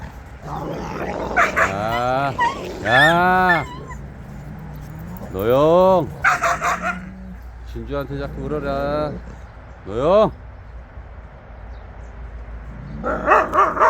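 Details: Several Jindo dogs out on a free walk give a run of strong arched yelping barks, each sweeping up and down in pitch, spaced irregularly over about fourteen seconds, with some human voices mixed in.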